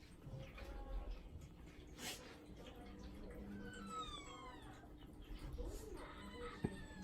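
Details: Odeko, an affectionate, clingy pet cat that often meows, gives a drawn-out harmonic meow that slides downward in pitch midway through, while a person talks nearby over a low background hum.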